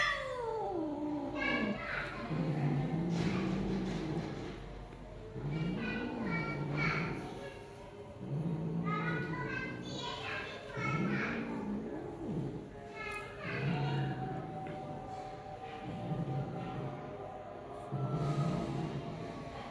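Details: Persian cat, a female in mating, with repeated drawn-out yowling meows that rise and fall, several in sequence; a low hum runs underneath.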